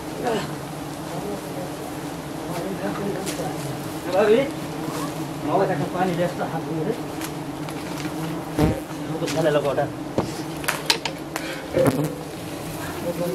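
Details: Giant honey bees at a nest being harvested by honey hunters in Thailand, high up; a steady low buzzing drone runs throughout while men talk over it, with scattered sharp clicks and knocks.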